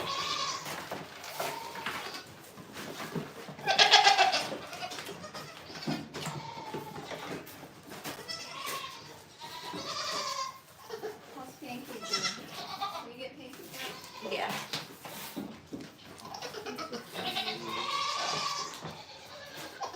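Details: Goats at The Willful Goat Farm & Home giving a run of wavering, nasal bleats, several with a quavering tremolo, spaced every few seconds across the stretch, with soft clicks, knocks and faint background voices between calls.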